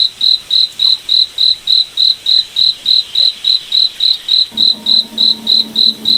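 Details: Evenly spaced high cricket chirps, roughly three each second, in a moonlit forest at night; a faint low hum joins toward the end.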